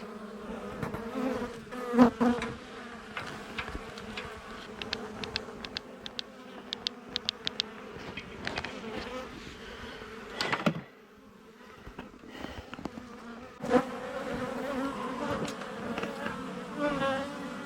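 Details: Colony of honey bees nesting in a wall cavity, exposed as a beekeeper removes the comb: a continuous low, even drone with bright overtones, and scattered clicks and thumps from handling the boards.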